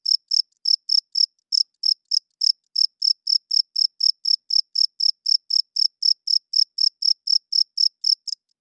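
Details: Cricket calling loudly after dark, the chirp made by the male's wings: piercing pulses about four a second, one or two skipped beats early on, then steady; no other sounds present.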